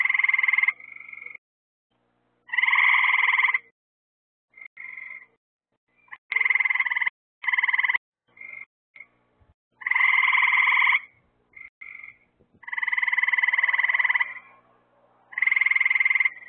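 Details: Frogs at night beside lights placed to draw bugs: repeated buzzy, rapidly pulsed trills of about a second, loud ones alternating with brief softer calls, giving a busy overlapping chorus.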